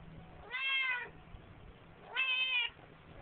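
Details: Indoors in a bathroom sink, a talkative Siamese cat recorded on a flip phone meows twice, about 1.6 seconds apart, each a clear half-second tonal meow with a slight rise and fall.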